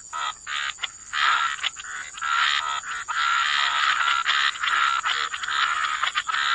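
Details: Wetland frogs in full chorus, a long unbroken rasping drone of croaks with brief gaps early on, mid-pitched and buzzy, accompanied by a steady faint high whine.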